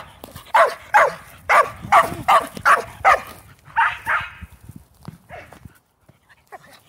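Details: Shetland Sheepdog barking during ball play with other shelties: a quick run of about nine sharp, high barks roughly two per second, then a couple of hoarse, breathier barks and a few fainter yips trailing off.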